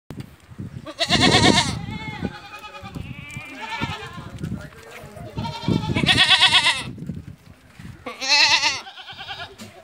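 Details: Barbari and Sojat does that have kidded once or twice, on a goat farm in Ajmer, Rajasthan, India: four loud, wavering, nasal bleats about two seconds apart, with low murmuring voices and shuffling underneath.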